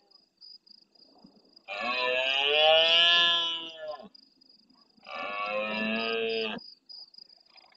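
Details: Red deer stag of good size, Doñana National Park marsh near El Rocío, Huelva, Spain, roaring at nightfall in answer to distant stags: a long, strained, deep-throated roar of over two seconds, then a shorter second one, above a pulsing high insect trill.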